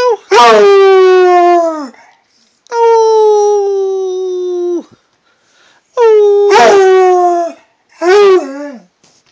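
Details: Redbone Coonhound howling at home: loud, mournful howls, one held steady for about two seconds and others sliding downward with a warbling break, four outbursts with short quiet gaps between them.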